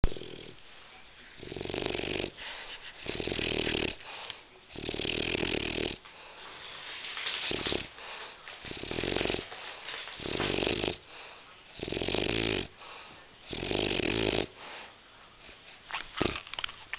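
A French Bulldog snores heavily, each breath a harsh, wheezing rattle with a low rumbling base. The snores come in irregular bursts of about a second, separated by short quiet pauses.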